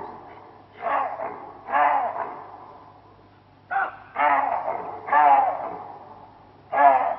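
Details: Chacma baboon, also called the Cape baboon, in Kruger, giving its alarm call: loud, harsh, two-part barks repeated about every second in bursts, with quieter gaps between them.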